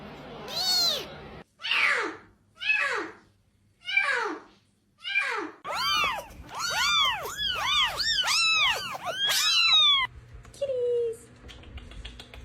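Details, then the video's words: Domestic cat meowing in quick succession, first five separate falling calls, then a rapid run of short arched meows about one per half second, ending in quieter noise. "cat meow"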